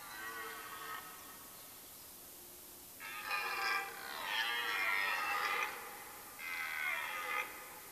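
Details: Red deer stag during the rut in late September, forest in Mecklenburg-Vorpommern, Germany: a faint harmonic call first, then two long, loud, hoarse roars of about two and one seconds, rich in overtones.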